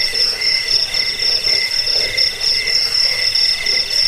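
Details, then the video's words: Chirping cricket used as a rat repellent, a sleep aid and a training tape for birds; shrill, fast pulsed trills come in short overlapping bursts, steady and unbroken. "Suara jangkik pengusir tikus pengantar tidur"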